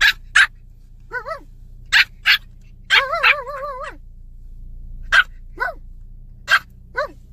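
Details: Pomeranian puppy, irritated and tired after being dragged along, barks in sharp broadband yaps between whining, rising-falling whimpers, with a steady low hum beneath.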